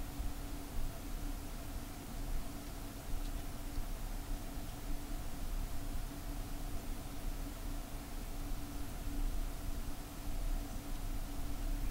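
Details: Steady indoor hiss and low hum with faint rumbling like distant traffic, no distinct animal sound.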